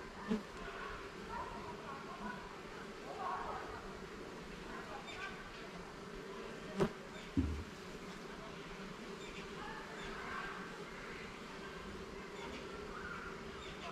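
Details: Honey bees in a garden hive being inspected level by level and frame by frame, giving a steady low buzzing hum with faint whining swells; a couple of sharp knocks sound near the middle.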